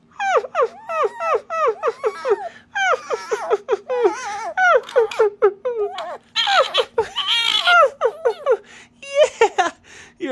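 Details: Fawzi, a pet male Rüppell's sand fox, indoors playing and chewing on a finger, gives a rapid series of short high whines dropping in pitch, repeated several times per second, mixed with a woman's cooing voice and laughter.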